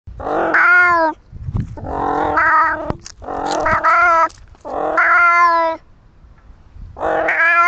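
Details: Little Flower, a pet cat, gives five loud, drawn-out harmonic meows of about a second each with short pauses between, some rising then falling in pitch, with no other clear sounds behind them.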